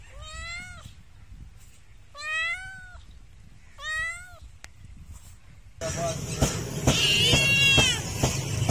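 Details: Domestic cat giving three rich, harmonic meows that arch upward and drop, about one and a half seconds apart in quiet surroundings, followed by a sudden burst of loud noise with another meow partly buried in it.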